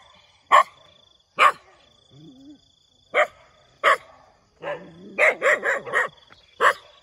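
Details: A dog barks in the morning, first with loud single barks at roughly one-second intervals, then a brief low whine, and finally a quick cluster of several barks in a row.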